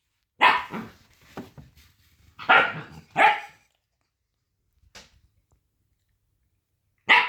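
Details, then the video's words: High, ear-piercing barks from a little puppy come in a cluster of three strong yaps with a faint yelp, then a pause and one last sharp bark. "Bruit de chiot qui aboie"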